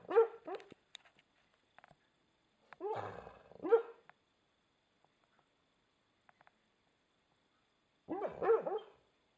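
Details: American Staffordshire Terrier barking while asleep: muffled, tonal woofs in short double bursts, a pair near the start, another pair around three seconds and a final burst near eight seconds, with quiet gaps between.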